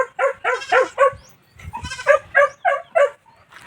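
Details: Newly bought young goat on a farm in La Union, Philippines, bleating while looking for its mother: short, wavering, nasal cries in quick bursts, about three to four per second, with a brief pause midway.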